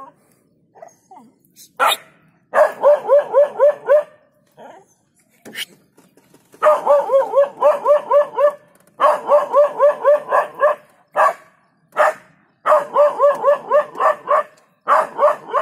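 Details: Dog barking at a leopard in Jhalana after being startled from sleep; rapid bursts of harmonic barks, about four per second, in several runs separated by short pauses, with a few sharper isolated yelps between.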